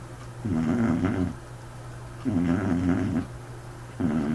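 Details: A white dog asleep, giving an unusual snore: rough, buzzing, low-pitched rattles repeating roughly every one and a half seconds, with softer inhalations between them, in a small quiet room.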